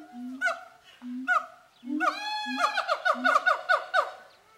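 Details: Siamangs at a zoo sing, hooting and shouting at each other, with deep booming notes mixed with loud rising barks that quicken into a rapid series.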